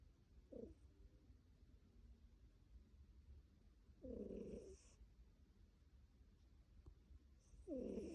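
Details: Sleeping tabby cat snoring: rough, buzzy breaths with a faint whistled edge and a hissy top, heard three times roughly every three to four seconds, with a soft low rumble between them.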